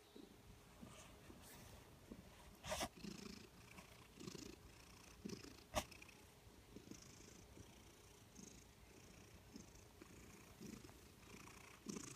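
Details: Continuous rolling purr from a contented, heavy-set female cat of Maine Coon/Manx type, low and rhythmic, broken by a couple of sharp clicks or taps.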